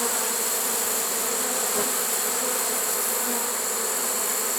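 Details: Honey bee swarm caught in a swarm trap on September 1, 2019, surprisingly late in the season: a dense, steady droning hum with layered overtones and a constant high hiss, unbroken throughout.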